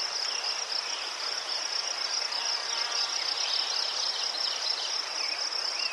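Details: Crickets chirping in Ukraine, where chrysanthemums grow: a steady, high pulsing trill runs without a break, with a few faint softer chirps from other insects beneath it.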